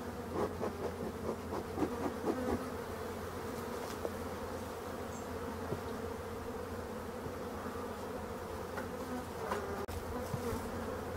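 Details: Black honey bees in an abandoned hive being restored by a beekeeper: a steady, low droning hum with layered tones, overlaid by irregular knocks and taps of handling in the first few seconds and a sharp click near the end.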